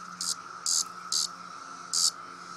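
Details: Cicada, male, buzzing as it is poked: four short harsh buzzes, roughly evenly spaced over two seconds, above a faint steady hum.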